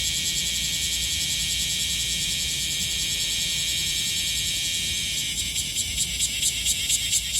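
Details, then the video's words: Okinawan bear cicada, Japan's second-largest cicada, singing in summer: a steady shrill hiss that breaks after about five seconds into quick rhythmic pulses, roughly two per second, over a soft low background hum. "セミの鳴き声 クマゼミ Cryptotympana facialis"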